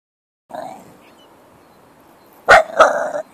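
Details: Miniature Bull Terrier during protection training: a faint low sound early, then two sharp loud barks close together near the end, followed by a brief rough tail.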